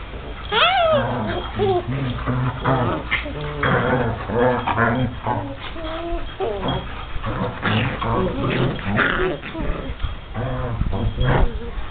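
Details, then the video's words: Seven-week-old German Shepherd puppies playing in Mexico: a sharp yelp sliding steeply downward, then repeated short whines and whimpers with harmonic overtones over several seconds, mixed with human voices nearby. "German Shepard Puppies 7 weeks"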